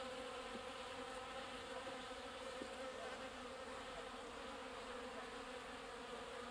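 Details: Water-carrying honey bees drinking at a watering place: continuous humming buzz of a crowd of bees, steady banded drone with faint flickers of individual wingbeats.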